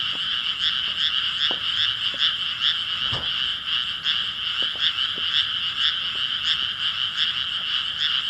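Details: Chorusing frogs, 5 May 2017, keep up a loud, slightly uneven train of rasping croaks, several callers overlapping, with a few brief knocks and taps underneath.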